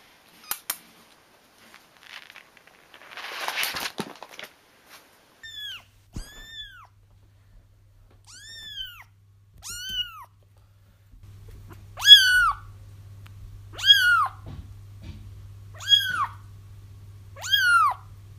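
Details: Kitten crying to lure a feral mother into a trap; after some rustling and handling noises, short arched mews build into louder, regular cries roughly every two seconds, with an electrical hum starting midway.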